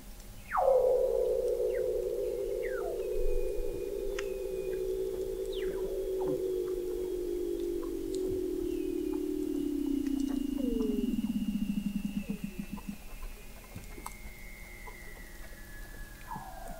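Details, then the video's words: Weddell seal under the sea ice of McMurdo Sound, Antarctica, November 2017, from an observatory 21 m below the ice: one long loud trill gliding slowly downward for about twelve seconds, breaking into rapid pulses at its end, faint chirps of other seals behind. "Song of the Antarctic Weddell Seal"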